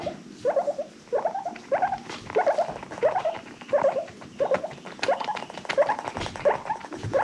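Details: Domestic guinea pigs, part of an adopted rescue herd, giving happy wheeks: short squeaky upswept calls repeated roughly every second and a half, steady and fairly regular, with faint rustling underneath.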